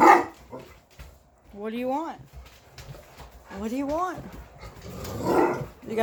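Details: English Mastiff, one of six gentle giants talking back: two drawn-out tonal woo-woo yodels that rise and waver in pitch, separated by a pause, with a person's voice at the start and end.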